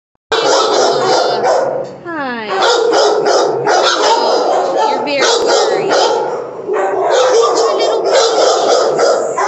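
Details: Puppies yapping in loud, rapid, overlapping barks that fill nearly the whole stretch, with a quick descending whine near the two-second mark and human voices mixed in.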